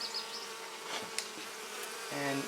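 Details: Honey bees from a gentle colony removed from a hive, in the last box holding brood comb and the queen; a steady soft hum fills the clip, with a few faint knocks and a brief low tone near the end.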